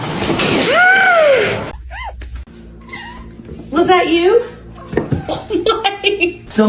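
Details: A cat gives one loud, drawn-out meow that rises and then falls over about a second and a half. People talking indoors follow and cover the rest of the moment.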